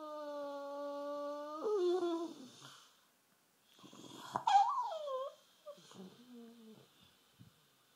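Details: Rufus, a bulldog sulking half asleep on a sofa indoors, gives steady, drawn-out nasal moaning tones that suddenly drop and waver. After a short pause come a rising and falling whine and a few softer broken groans in a small room.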